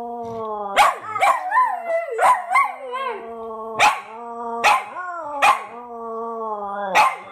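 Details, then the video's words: Duet by two dogs named Fred and Barney: a long steady low howl runs throughout, while the partner adds wobbling, sliding howls and sharp yelping barks about once a second. "Dogs singing a duet"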